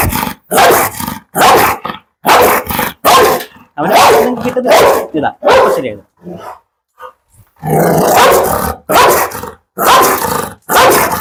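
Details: Fierce, handsome Pit Bull barking in a long series of loud, harsh bursts, several per second at times, pausing midway before resuming, while a man speaks over and between the barks.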